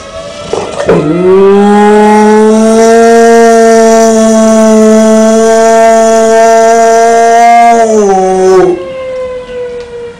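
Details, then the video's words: Beba, a 12-month-old Dogue de Bordeaux, sings back after hearing tornado sirens: a loud, sustained, rich-toned howl held steady for about eight seconds, then sliding down and breaking off, with a short lower tail afterward. "Dogue De Bordeaux Singing to Tornado Sirens"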